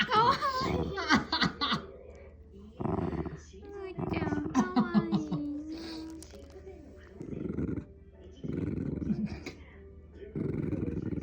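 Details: Pet Shiba Inu producing an engine-like growl: short rumbling bursts spaced a second or more apart, mixed with human speech and laughter in the first half of the recording.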